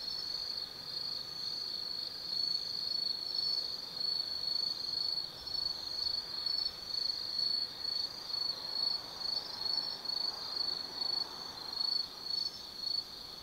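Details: Forest insects singing on an autumn night at Tsukimi no Mori, Gifu, Japan: high ringing trill broken into short pulses about once a second, with a continuous fainter buzz and soft distant hum behind.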